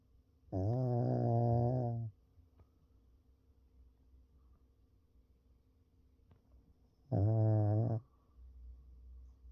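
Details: Sleeping Pekingese dog snoring indoors, two loud rasping, deep snores about six seconds apart, each one to one and a half seconds long, with quiet breathing between them.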